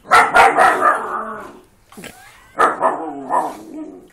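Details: Dogs playing together, a husky, a wolf hybrid and a pug, giving rough, growly barks in two bursts separated by a brief pause, with a short whine between them.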